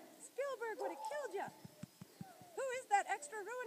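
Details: Dew Claw Kennel's summer puppies, Hans and Sue, give bursts of short, arching, squealy whimpers, two clusters separated by a quieter gap with soft tapping, while a voice speaks in the background.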